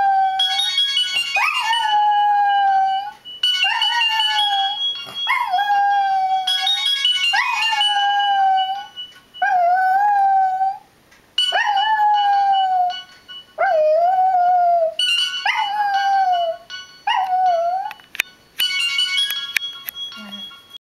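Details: A puppy howls along each time a Nokia cellphone melody plays: long sliding howls that rise then level off, repeated about every two seconds, with the ringtone's steady electronic tones heard underneath.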